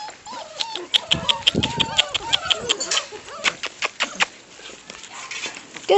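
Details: Bernese Mountain Dog puppies playing outside: several short, arching whimpers and yips overlap one another, mixed with quick sharp tapping clicks and brief human voices calling to the pups.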